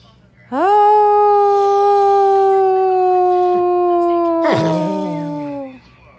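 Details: Long dog howl that opens with a quick upward swoop, holds a steady clear pitch for about four seconds, then breaks with a rough yelp-like crack and trails off lower.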